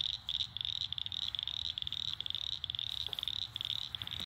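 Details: Little cricket frogs calling outdoors: a fast, continuous run of sharp, high-pitched clicks, packed into quick rattling bursts with brief gaps, over faint low background noise.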